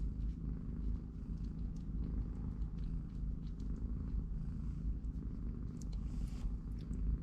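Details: Continuous deep purring from a family of three-week-old kittens and their watching mother, resting between naps and play in a cardboard box indoors, with a few light rustles and ticks over the even rumble.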